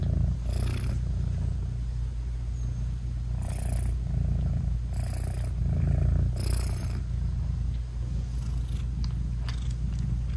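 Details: Deep, even purring from a British Shorthair mother cat as she nurses and cuddles her tiny newborn kittens with closed eyes, broken by a few brief rustles and soft movement noises; no added music.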